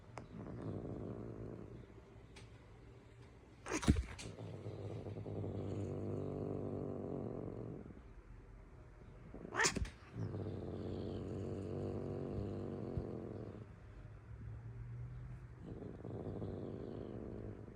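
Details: An angry cat growls in long, low, grumbling stretches, each opened by a sudden sharp spit or hiss burst, with short quiet gaps between growls.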